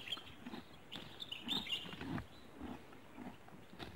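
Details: A horse (perhaps a donkey) chews grass, with crunching, rhythmic bites repeating roughly twice a second, a rooster crowing and birds possibly in the background.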